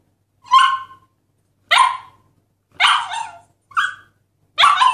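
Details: Husky puppy barking: five short, sharp yelps about one second apart, each bright and slightly falling, in an otherwise quiet setting.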